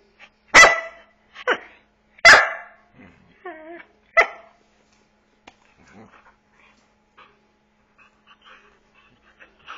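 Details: Playful eight-month-old Border Collie corVata barking to invite play: a burst of four sharp barks with a short whine among them, then quiet with faint shuffling and small noises.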